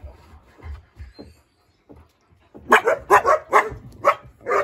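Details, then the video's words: A few faint, scattered yips, then a loud burst of rapid, rough barking from East European Shepherd puppies directed at a husky, about six barks in two seconds. "Щенки лают на хаски"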